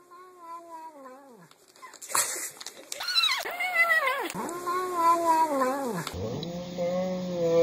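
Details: House cat vocalising while eating: long, drawn-out, wavering meow-like cries with strong overtones, dipping and rising in pitch, several in a row, with abrupt background noise shifts between them.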